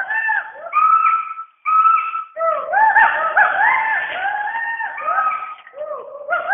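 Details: Western hoolock gibbons give loud, overlapping whooping calls that swoop up and down in pitch from the rainforest canopy in Dampa Tiger Reserve, Mizoram, India.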